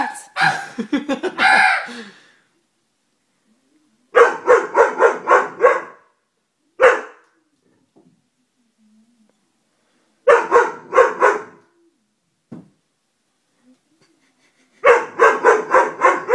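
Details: Dobermann giving bursts of rapid barks, about five or six per run, spaced by several seconds of silence, with single isolated barks between runs and a mixed noisy burst at the start.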